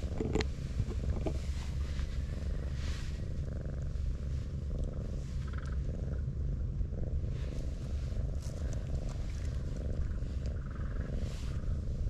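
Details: Brown tabby cat being stroked, curling its body up like an armadillo; a low, continuous rumbling purr pulses steadily through the whole stretch, with soft rustling and handling noises over it.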